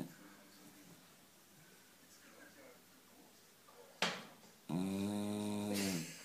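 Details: Kira, a Beagle aged nine, snores in a small room; after a quiet stretch and a sharp click, one long harmonic, rasping snore lasts about a second and a half before fading.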